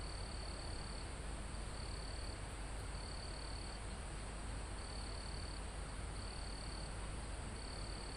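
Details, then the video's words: In a calm mountain forest close to the summit, crickets repeat a shrill, level trill about six times, each burst under a second, set against a constant breezy rustle of foliage. "Calm Forest in Mountain With Crickets, Insects Sound"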